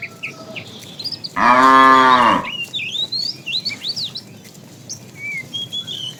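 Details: A tame cow in a herd roaming around in the morning looking for food gives one loud, drawn-out moo of about a second, over steady chirping and twittering of small birds in the background.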